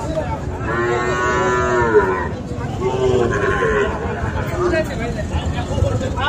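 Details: Sahiwal bull calves at Ambari cattle market, Bangladesh, on 13 November: a long harmonic-rich moo lasting over a second, followed by further lowing calls, over a busy market background of murmuring voices.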